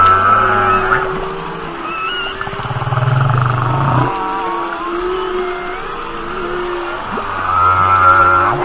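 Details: Humpback whales make long, tonal moans, some held flat and some sweeping upward. A deep, buzzing low note swells in the middle, and the layered calls overlap against a steady underwater hiss.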